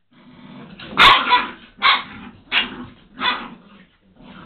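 Deep, rasping barks from a Dobermann come in bursts roughly a second apart, the first loudest and broken with growly edges. Each bark is a sharp explosive hit, the sound of aggression as dogs fight.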